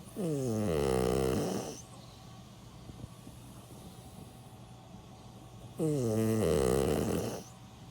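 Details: Sleeping senior dog Milk, aged 16, snores in two long rasping, buzzy bursts about five seconds apart. Each lasts over a second, with soft, quiet breathing between them.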